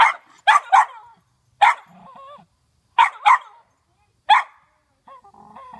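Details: A Cairn Terrier, alarmed by a cucumber hanging nearby, barks in sharp, high bursts, often doubled or tripled, with short pauses between.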